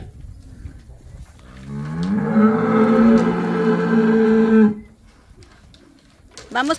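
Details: Calf in Campeche, Mexico, on 20 August 2022. One long, steady, harmonic moo holds for about three seconds before cutting off abruptly, with quiet farmyard background and a brief rising squeal at the end.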